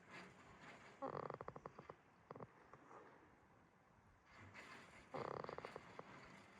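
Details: A sleeping goat named Jitta at Yoshigake Farm, Himi, Toyama, Japan: two raspy, fluttering snores about four seconds apart, each a rapid train of pulses, with faint breathing between them in a quiet pasture.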